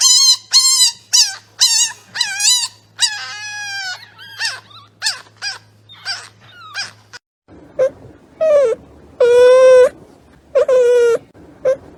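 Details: Newborn puppies born by caesarean section, in their first four days, whimpering and squealing: high, ringing cries in quick bursts, then a short silence and longer, lower wails rising and falling, several overlapping.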